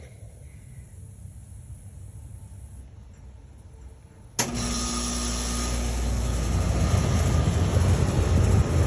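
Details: A car engine starts about halfway through with a sharp burst, then settles into a steady, loud idling rumble with broadband hiss. Before that, only a quiet low background hum is heard.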